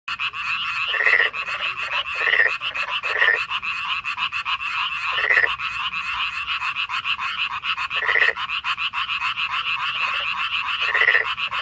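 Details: A dense night chorus of Korean frogs in May 2025, high trilling calls overlapping into a steady wall of sound.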